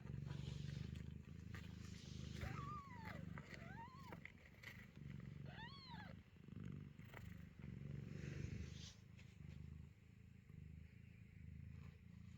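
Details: Kittens at a closed door meow loudly while their mother, the cat Chloe, gives birth inside, the whole family anxious and waiting. Three rising-falling meows come about two seconds apart over a steady low rumble of purring and room noise.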